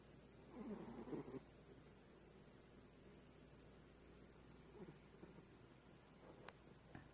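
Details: A house cat snores softly while asleep, the sound quiet and hard to hear. A raspy, purring snore rises in a short burst early on and returns more faintly a few seconds later over a steady indoor hum.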